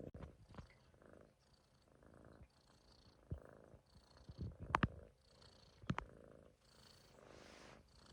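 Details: Sleeping Munchkin kitten lying on a person's stomach, giving soft rhythmic snores, roughly one breath each second, low and grainy, broken by a few sharp thumps and rustles from movement.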